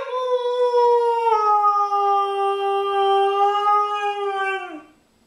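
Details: Female pet dog "talking" indoors, giving one sustained tonal howl lasting about five seconds, steady and rich in harmonics, sliding slightly downward before breaking off, while her owner praises her as a good girl.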